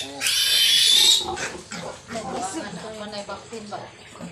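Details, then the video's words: A newborn piglet from a sow's fresh litter of 13 lets out a loud, shrill, sustained squeal near one second long, then fainter grunts and squeaks, with a man speaking softly nearby. "nanganak na Ang inahing nating baboy at pinagkaluoban Tayo Ng 13 biek"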